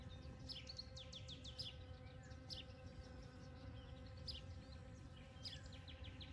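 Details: Morning buzzing of honey bees foraging among poppies covering a field, 29 May 2022; the even low hum is overlaid by rapid, high twittering bird calls in short bursts.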